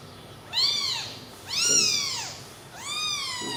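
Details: Newborn baby kittens sleeping together after feeding on milk; three high, arched meows with rich overtones, each rising then falling, spaced about a second apart, over a quiet indoor background.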